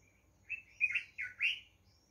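A rock hyrax gives a quick run of four high, chirping squeaks, each slurring up and down.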